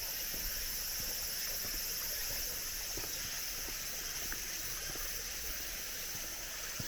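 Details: End-of-summer cicadas heard while walking a mountain forest track in cooler weather: a continuous shrill, hissing chorus holds steady throughout, with scattered low crunching footsteps on gravel and stones beneath it.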